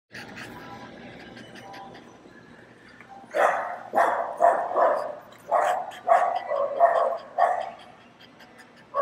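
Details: Several dogs barking inside a PetSmart store while a French Bulldog listens and reacts; a quiet start, then loud, sharp barks in quick clusters from about three seconds on, with faint store murmur.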